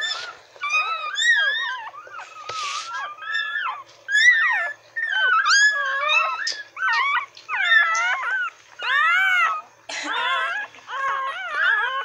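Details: Newborn retriever puppies, nine in the litter, some an hour old and others only minutes, with their mother indoors: high, wavering squeals and whines in rapid overlapping bursts, rising and falling, separated by brief pauses.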